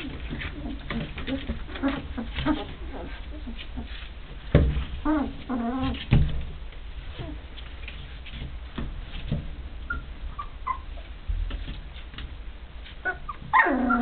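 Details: Rhodesian Ridgeback puppies just under three weeks old, from Duscha's second litter born 1 November 2009, play-fighting with siblings; short harmonic yelps and squealing growls break out around the middle and again at the end over steady rustling and shuffling.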